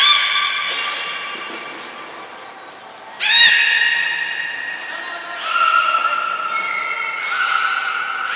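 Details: Aquarium belugas Nana, Mirai and Niko in training at the Port of Nagoya Public Aquarium on 11 January 2021: several stacked harmonic calls, a sharp upward sweep midway, and sustained tones stepping between pitches, with short high whistle blasts from the training.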